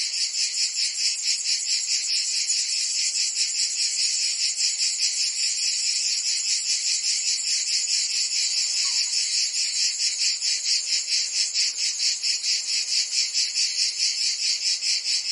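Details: Summer cicada chorus in Provence, France: many insects blend into an unbroken high, hissing drone that pulses rhythmically a little more than twice per second throughout, with no other sounds.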